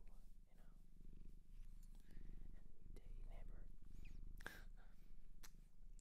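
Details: Shelter cat in Japan purring close up in a quiet room, a continuous deep vibrating throb with gentle pulsing, accompanied by quiet talking and a few brief clicks and rustles.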